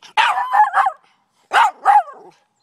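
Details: Barking from Daisy and Rose, pet Miniature Pinscher / Rat Terrier mixes, during a game of fetch: two sharp, loud barks in quick succession, a short pause, then two more, each ringing and slightly tonal, with near silence around them.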